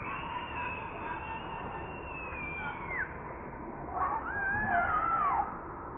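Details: Baby monkey pulled from its mother, crying while begging for milk: a long, thin, wavering whine that slides down near three seconds, then a second arched, quavering wail rising and falling before fading, over steady background hiss.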